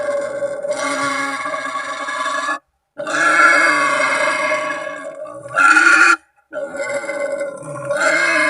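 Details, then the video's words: Wild boar calling to companions or rivals, a lure sound for hunting; long, harsh, strongly tonal squealing cries lasting two to three seconds each, separated by short silences, one higher, louder burst near the end. "suara asli babi memanggil teman/lawan"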